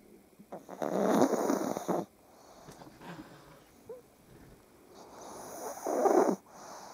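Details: Pug dogs snoring in the morning as they wake up, lying on top of their owner; two loud, rough, breathy snore bursts about four seconds apart, with faint snuffling and quiet room noise between them.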